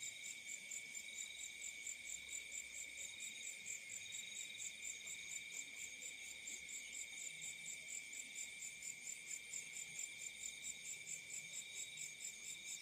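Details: Night crickets in the fields making a continuous shrill chirring with rapid regular pulses, several high tones stacked together, and almost nothing in the low range.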